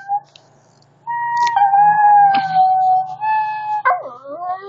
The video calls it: Singing shih tzu